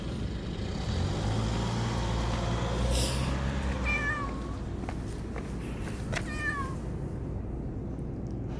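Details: A cat talking back to its owner gives two clear meows, each bending downward, a couple of seconds apart, over a low vehicle-like rumble.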